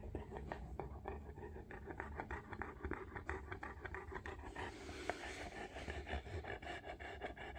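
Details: Scratching and rubbing noises fill a small indoor room, with faint low rumble and no clear animal call.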